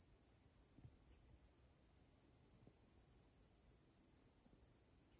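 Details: Bell cricket singing indoors while a cat sleeps on a grandmother's bed: a faint, steady, high-pitched ringing trill runs without a break throughout, over a quiet room hush.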